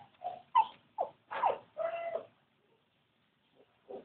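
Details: Newborn Labrador Retriever puppies, one of a litter of thirteen, giving a quick run of five squealing, whiny cries within two seconds, then silence and two faint squeaks.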